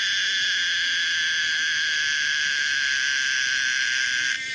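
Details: An unbroken, even, high-pitched drone from the common cicada Pomponia linearis, holding steady for over four seconds before stopping abruptly at the end.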